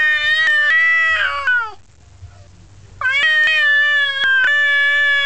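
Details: Male domestic cat telling another male off: two sustained, rich wailing yowls, the first falling toward its end, separated by a brief quiet gap, with faint clicks.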